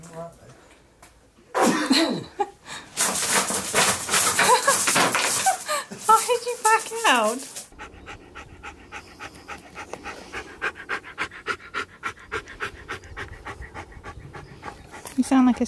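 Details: Excited Siberian Husky Keyush indoors, expecting his best friend to come over: loud bursts of wavering vocal 'talking' mixed with human speech and laughter, followed by steady rapid panting for several seconds.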